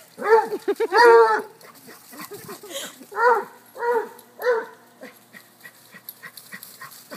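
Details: Playing chase by a river, a cocker-hound, a Basset and a corgi give several loud, harmonic baying barks a second or so apart, then quieter scuffling and small sounds.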